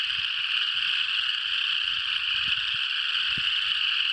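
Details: Frog chorus in Tennessee, a singing group that stops when approached and resumes when left alone; a dense, continuous high trilling wall of sound with no breaks, faint low thumps beneath.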